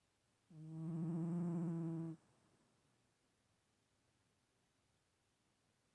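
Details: Stache, a cat, snores once more: a single steady, humming, tonal breath lasting about a second and a half, then quiet before the next snore begins.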